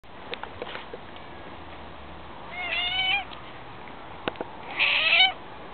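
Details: Domestic cat named Olive gives two short meows, the first slightly rising then falling, the second louder and brighter about two seconds later, with faint clicks and quiet indoor background between them.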